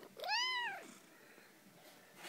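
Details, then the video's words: Pet cat giving one clear, rising-then-falling meow, harmonic and nasal, lasting under a second, followed by quiet room tone and a soft rustle at the end. "Cutest cat noise"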